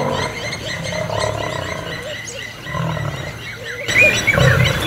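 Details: Lions fighting over territory in Kruger National Park, an old male against young males. Rough growling snarls rise and fall in uneven bursts, then an abrupt shift near the end brings louder, higher snarling.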